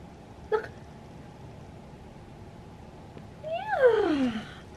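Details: Butters, a domestic cat, meowing for its owner's attention: a short faint chirp, then one loud drawn-out meow that rises briefly and slides steeply downward, against a quiet indoor background.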